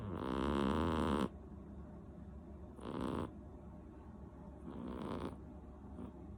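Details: Rinchan, a seven-month-old female cat, snoring heavily in her sleep; one long loud rasping snore followed by two softer, breathier ones a couple of seconds apart.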